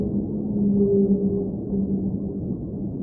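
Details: Whale singing underwater: a long, steady low moan holding a deep tone with a fainter higher overtone, swelling slightly around the middle, over a constant muffled underwater rumble.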